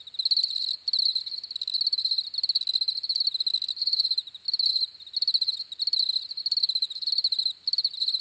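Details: Chorus of crickets giving continuous high, trilled chirping in bursts of under a second, separated by short gaps, rhythm steady throughout with no other sounds.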